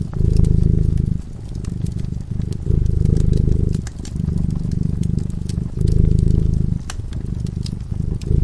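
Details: Drowsing cat beside a crackling fireplace, its low rumbling purr rising and falling in regular breaths roughly every one and a half seconds, with frequent wood pops and crackles from the flames.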